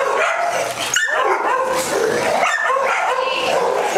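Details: Several dogs at a day care in Las Vegas, Nevada, on October 5, 2009, all getting the zoomies at once: a dense, continuous tangle of overlapping barks and high yips with no pause.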